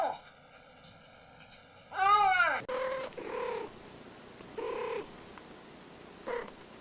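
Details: Pet cat producing a sharp arching cry, then a few short, nasal chirping meows spaced about a second apart over a quiet background, from a compilation of cats talking and making funny noises.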